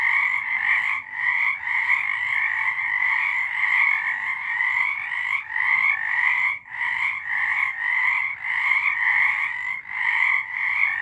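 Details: Many frogs calling together in the dark, March 2023, a pulsing wall of rapid croaks that throbs in short bursts, with a brief gap near the middle and short drops toward the end.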